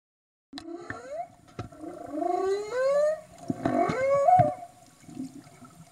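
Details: Humpback whales recorded underwater in Tonga in 2015: a series of rising, upswept moaning whoops with rich harmonics, some sliding upward over about a second, interspersed with short clicks and knocks against faint background hiss.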